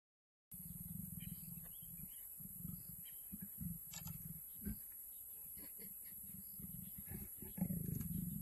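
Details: Mating leopards give deep, rumbling growls in repeated bursts, each a rapid pulsing throb low in pitch, with brief pauses between bouts and a louder, rougher growl near the end.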